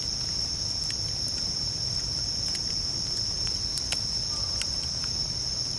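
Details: Continuous high, bell-like trilling of bell crickets while camping, with a crackling campfire adding scattered snaps and pops over the even insect chorus.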